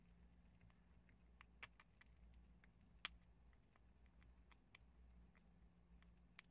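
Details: Prairie dogs munch on chickpeas, producing brief, crisp crunching clicks at uneven intervals over a steady low hum.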